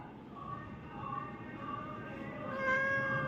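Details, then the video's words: A pet cat, shown as a 'talking cat' airing a complaint, gives a drawn-out, wavering meow of steady tones that swell louder and rise toward the end. A woman speaks in Kannada just before and after. "பேசும் பூனை cat complent"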